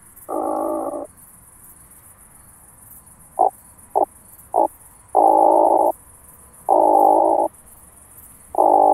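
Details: Through a Pettersson D 100 ultrasound detector in Starnberg, Germany, on 18 July 2023, an oak bush-cricket produces long coarse rasping bursts interspersed with three short sharp ticks, repeating at uneven intervals over low hiss.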